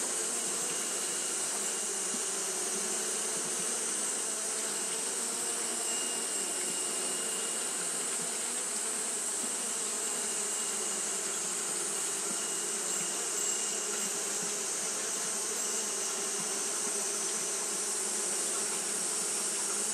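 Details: Japanese honey bees fan nonstop because of the day's heat, giving a sustained, even buzzing drone. A strong constant high hiss and a thin faint whine around the middle are also heard.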